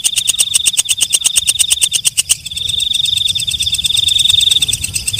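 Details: Night-singing katydid, known locally as walang kecek: loud separate high clicks for two seconds, then a continuous shrill buzzing trill takes over with softer ticking underneath.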